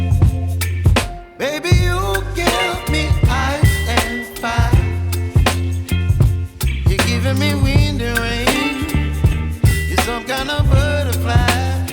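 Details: A soul-funk music track plays throughout, with a heavy bass line, steady beat and sung vocal melody; no animal voices can be picked out.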